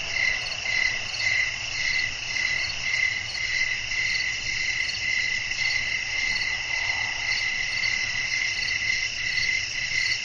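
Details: Crickets chirping at night in a relaxing nighttime nature scene, a steady shrill chorus with pulsed high chirps repeated about twice a second over continuous higher trilling, with a faint low rumble beneath.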